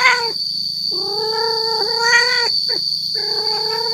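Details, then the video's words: Male cat caterwauling to lure females: a short cry, then a long sustained yowl that rises slightly midway, a brief sharp yelp and another held wail. A steady high whine and low hum continue throughout. "Suara kucing jantan yang bikin kucing betina singgah"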